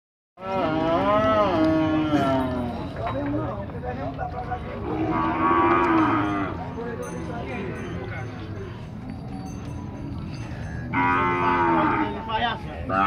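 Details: Wild bulls at a cattle fair in Tabira, Pernambuco, Brazil, on 6 April 2022: loud drawn-out harmonic moos and bellows, several overlapping, one rising then falling near the start and another burst near the end, amid crowd noise.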